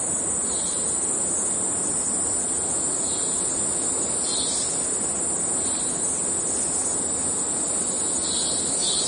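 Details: A cicada in the Amazon forest of Venezuela sings a steady, high, metallic, robot-like buzz, with softer pulsing bursts lower down every second or two.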